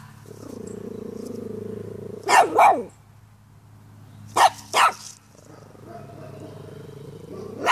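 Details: Pomeranian dog reacting to a dandelion it notices for the first time: a low, steady growl lasting nearly two seconds, then two pairs of sharp, high barks, a second long growl, and a final bark at the end.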